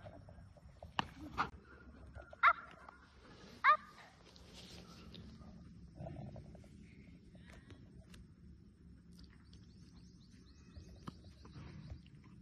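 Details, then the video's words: A German Shepherd under training by Mahendra Singh Dhoni's daughter gives a pair of abrupt, loud barks roughly a second apart, with softer yips before them and low rustling afterwards. "German Shepherd Dog को Train"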